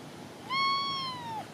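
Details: A male blue lynx mitted Ragdoll cat outdoors on a post, sniffing at something in a tree, possibly birds or a squirrel, gives one drawn-out meow that holds steady, then slides down at the end.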